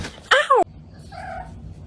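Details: Domestic cat giving one short arched meow that rises then falls, lasting under a second, followed by faint low murmuring in a quiet room.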